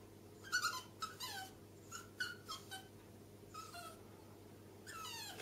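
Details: Indoors at the top of the stairs with three friendly small dogs, Millie the bichon frise, Alfie the chihuahua and Louie the yorkshire terrier; soft, scattered whimpers sliding downward, several short cries close together over a low room hum.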